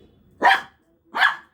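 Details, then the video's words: Pet dog indoors that pushed its toy under the bed, barking to call for help getting it back: two loud, harsh barks about three-quarters of a second apart in a quiet room. "হ্যাঁ, ওখানে ঢুকিয়েছে, ঢুকিয়ে আবার ডাকছে, ভুক ভুক করে ডাকছে।"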